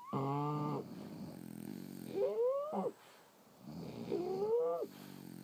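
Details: Sleeping French Bulldogs snore: a loud, buzzy, rumbling snort opens, followed by two breaths with high, upward-sliding nasal whistles over softer rattling rumbles.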